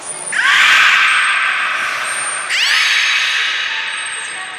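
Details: Captive beluga during a training session at Port of Nagoya Public Aquarium, Japan, on 11 July 2020, with Taanya, Nana, Mirai and Niko featured. Two loud, rich, harmonic whining calls, each opening with a rising sweep, alongside a thin steady high tone.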